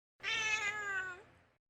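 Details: Odd-eyed cat indoors on a hot summer day gives one clear, high meow lasting just over a second, strong at first, then fading slowly with a slight upward turn at the end; the room is otherwise quiet.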